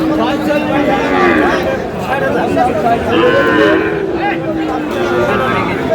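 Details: Sahiwal bull calves being bought by a farmer from Munshiganj, Bangladesh, at a cattle market: drawn-out, low lowing calls rise over a dense backdrop of bargaining voices and crowd chatter.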